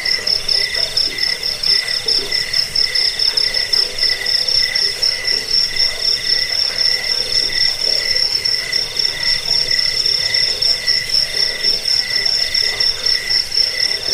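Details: Crickets used for keeping rats away and for bird training, a long unbroken stretch of high trilling chirps in quick, slightly irregular pulses, with a second lower buzzing voice beneath and no background noise.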